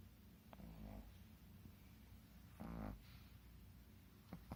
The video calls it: Dueling snoring shih tzu